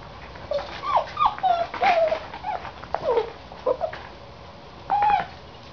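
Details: A Vizsla, an adult with a younger dog, gives a series of short high whines and whimpers, some rising then falling, spaced through the recording, with a final sustained whine near the end in a quiet indoor setting.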